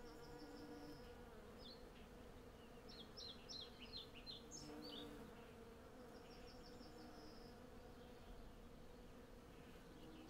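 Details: Western honey bees by the hundreds working a blossoming cherry tree for honey; continuous layered humming drone, with bursts of quick high birdsong twitters over the swarm's buzz.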